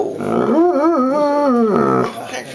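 A Bloodhound gives a drawn-out, wavering moan that bends up and down in pitch, begging for food.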